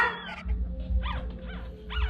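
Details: Newborn puppy giving short arched squeaks, three thin rising-then-falling cries spaced about half a second apart, with a steady low hum and faint murmuring underneath.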